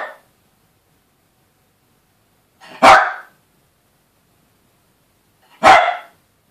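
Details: Yorkshire Terriers, a male often terrorised by the female: single sharp, high barks spaced about three seconds apart, three in all, with silence between.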